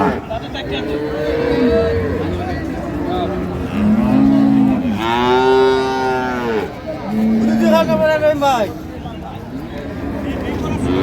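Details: At Ambari livestock market in Dinajpur, Bangladesh, 9 March 2025, improved-breed dairy cattle call: scattered short moos, then a loud, rich bellow around the middle and another strained call soon after, amid market voices and traffic.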